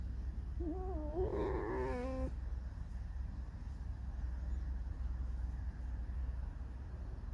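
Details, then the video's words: A single wavering, creaky whine from Alice the pet red fox lasts about two seconds, its pitch wobbling up and down, followed by a steady low hum indoors. "50 оттенков рыжего скрипа"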